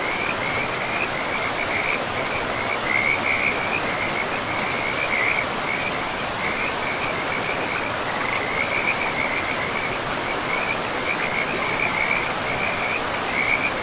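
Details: In a pristine forest by a river, frogs keep up a steady stream of high, rapid trill bursts, one after another with short gaps. Strong rushing water fills the background throughout.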